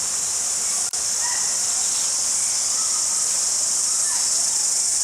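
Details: A cricket chirps in a steady, high, shimmering trill without a break, recorded at Jelly Park, Christchurch, New Zealand, in February 2010.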